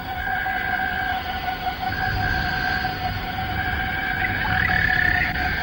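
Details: Male cicadas chorusing at dawn or sunset in the Malaysian rainforest, late 1950s to early 1960s. A continuous droning, multi-toned hum fills the forest with slight pulsing, and a brief rising whistle appears near the end.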